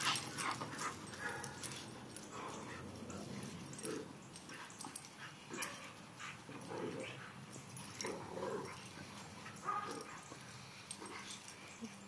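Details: Dogs Diamond, Clover and Scarlet romping with Bo, a male boxer visiting with friends. Low rough grumbles recur every second or two among clicks, thuds and scuffling of the play.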